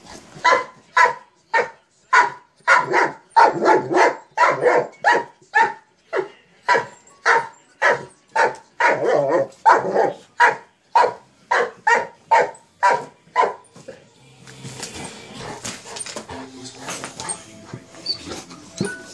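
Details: Barking in quick succession from a Mastiff at play with a sock monkey jack-in-the-box: about fourteen seconds of loud, evenly strong barks close together, then the barking stops and only a low hiss and rustle remain.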